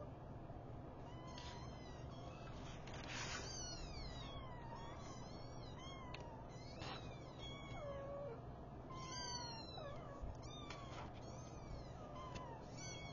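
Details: Five newborn kittens being woken by their mother cat give high, thin, rising-and-falling mews, many overlapping in quick succession throughout, over a steady low hum.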